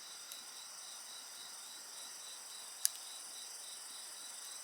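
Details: Insect voices beside a bonfire form an unbroken high-pitched shimmer of overlapping trills, one lower line rapidly pulsing. A single loud snap from the fire stands out midway.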